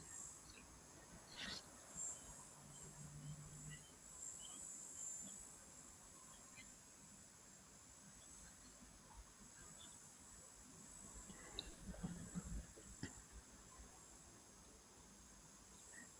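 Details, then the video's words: Cicadas keep up a thin, steady, high-pitched buzz over a quiet outdoor background at a waterhole in Etosha, Namibia, on 16 November 2024; their calling suggests dry season, with an elephant bull feeding nearby. "Still hear the cicadas calling, so it sounds like dry season."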